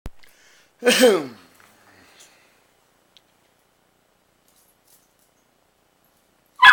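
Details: Domestic dog barking at a pitbull puppy indoors: one loud harsh bark with stacked harmonics near the one-second mark, then near silence and a second sharp bark at the very end.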